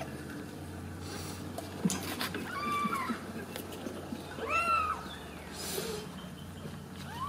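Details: Ragdoll kittens raised in a home cattery in central Kansas without cages. A few high, arching meows rise and fall, with a longer clear mew near the middle, over soft household rustling and a woman talking quietly.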